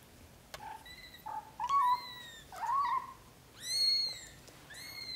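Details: British shorthair kittens, a litter of four (Iris, Lotus, Berry and Lily) born to Samel and Leo, in their first 30 days: a series of high, thin mews, some rising then falling, about five in quick succession with short pauses between.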